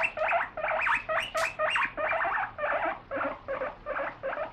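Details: Guinea pig kept as a pet clamoring for lettuce being washed, loud piercing wheeks in a fast regular series, each a short harmonic-rich squeal, roughly two per second.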